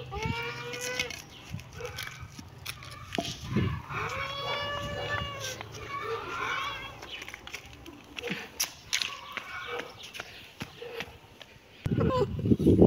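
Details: Young cat's mews, brief harmonic cries early on, partly buried in background voices and clatter, ending in a burst of loud rustling noise.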